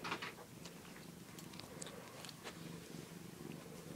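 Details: Domestic cat lying on a doll crib, purring indoors: a low, steady rumbling hum throughout, with a few soft clicks and rustles above it.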